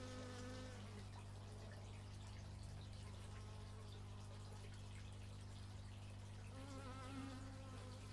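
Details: Bees captured in stereo on an x/y microphone: a close buzz with wobbling pitch at the start, quieter droning in the middle, then another nearby buzzing pass near the end over constant low hum.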